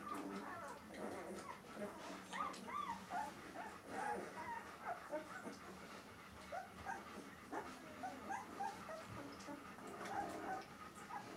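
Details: Litter of White Swiss Shepherd Dog puppies at 13 days of age, high squeaky whimpers and short yelps repeated throughout, overlapping from several pups, with a constant low hum behind.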